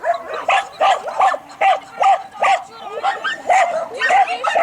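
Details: Two-and-a-half-year-old Croatian Sheepdog named Berda, under innate-trait testing, gives a fast run of short yappy barks, more than two per second, some rising into higher yips, with faint voices behind.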